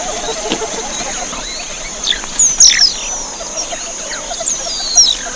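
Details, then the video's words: Javan mongoose group calling: high, thin squealing notes that sweep downward, scattered irregularly and overlapping, over a steady high-pitched insect-like hum and soft background noise. "SUARA PANGGILAN GEROMBOLAN GARANGAN SAWAH"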